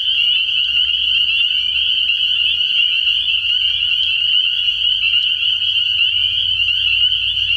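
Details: Night chorus of numerous spring peepers at a frog pond early in the year: a continuous, insistent high-pitched peeping drone with a soft low hum in the background.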